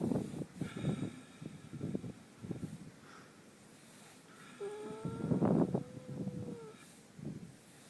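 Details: Sleeping horse Minxy, lips twitching, snores in a steady run of low, rasping breath pulses. Partway through, a sustained tonal sound with a slight upward slide rises over the snoring.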